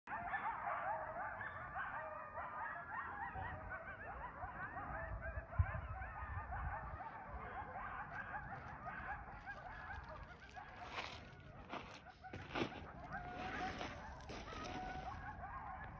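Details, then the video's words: Several coyotes howl and yip together in a wavering, overlapping chorus that rises and falls, echoing in the distance in a canyon next to Lake Mead, Nevada, on a winter day. "Coyotes Singing in the Canyon"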